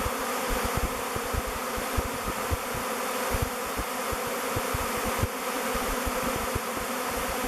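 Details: Swarming honey bees, thousands strong, circling a log hive named Bee Beard that they have chosen as their new home; steady rich hum with frequent soft low thuds and slight swells in volume.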